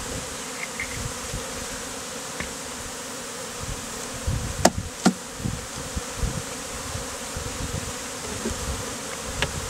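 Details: Honey bees gathered into a beard on a man's face during a hot day, the colony just removed from a statue; continuous thick humming drone, broken by several sharp clicks and thumps near the middle.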